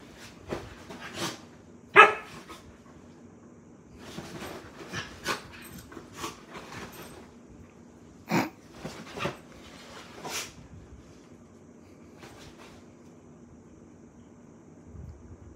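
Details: Hyper Samoyed puppy named Daisy during bedtime play indoors gives one clear sharp bark early on, followed by scattered scuffling, taps and light thumps of movement.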